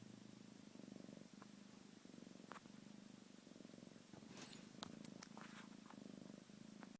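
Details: A domestic cat purrs close by, a continuous, deep, vibrating hum rising and falling in breath-paced cycles. Faint clicks and rustles come through in the middle.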